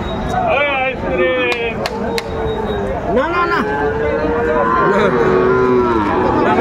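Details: Sahiwal breed bull at a busy cattle market, 16 April 2024: a long, level lowing moo holds for over two seconds after shorter rising calls, with loud human voices and market bustle throughout.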